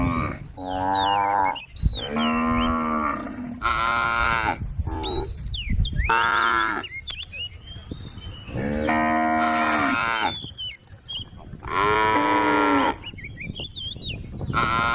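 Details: A group of tame cows on a forest road, lowing in a steady series of about seven drawn-out, rich harmonic moos, each around a second long, with thin whistled bird notes heard in the pauses.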